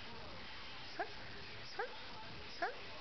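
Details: Airedale Terrier puppy named Lenny, indoors, begging for a Greenie treat while his owner gives commands in Korean such as sit: three short, high yelping barks roughly every 0.8 seconds over steady background hiss, with human voice nearby.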